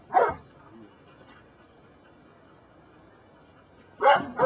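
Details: Belgian Malinois Brujo of the des Champs kennel, Mexico, during personal protection control work: a single sharp, loud bark opens, a long quiet pause follows, then a pair of strong barks close the clip.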